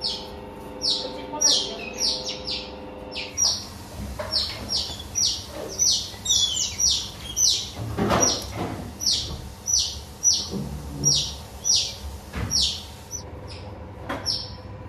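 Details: Baby otters playing with visitors at an otter cafe in Ikebukuro, Tokyo. They give a long run of shrill chirps that fall in pitch, repeated almost twice a second in clustered bursts, with room hum and some rustling.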